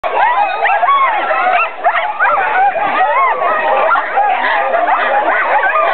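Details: Many sled dogs at a summer sled dog camp in Alaska, excited and loud before a sled ride: a dense, unbroken chorus of overlapping yips, barks and rising and falling whining howls, with human voices mixed in.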